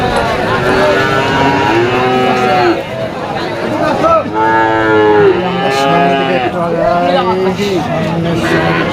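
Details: Holstein Friesian bulls at a Bangladeshi cattle market: several overlapping loud harmonic moos, some rising then falling, others flat and drawn out, layered one over another amid crowd chatter and a passing vehicle.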